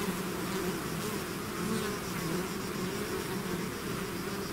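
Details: A bee swarm pouring out of its hive, a dense continuous hum with bright bands around 200 and 400 pitch layers wavering steadily, no pauses, a thick drone of many wings filling the whole stretch.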